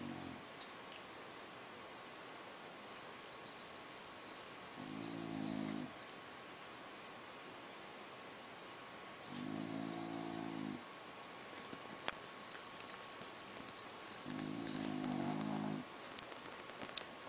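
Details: Sleeping French Bulldog lying on a polka-dot blanket gives four slow, throaty, rattling snores of about one and a half seconds each, spaced around five seconds apart, with a few faint sharp clicks and a quiet steady hum between them.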